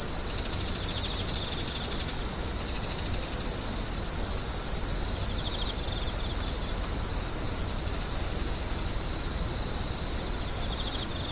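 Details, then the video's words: Screeching insects give a continuous shrill tone held at a fixed high pitch, broken now and then by short, faint buzzy pulses slightly lower. "The sound of insects crying"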